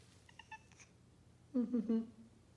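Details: Female cat tuning herself to a Concert A: a few soft tuning-fork-like pure tones, then a short, low, wavering meow with a slight trill lasting about half a second, indoors.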